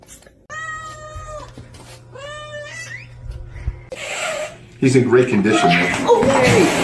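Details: 1.0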